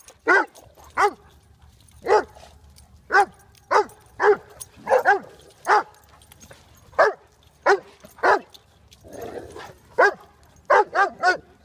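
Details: Black Russian Terrier Koba and Willow the Irish Wolfhound playing together at Trinity Bellwoods; loud, sharp barks in short bursts, about fifteen over the stretch, some doubled or tripled, with a quiet background between them.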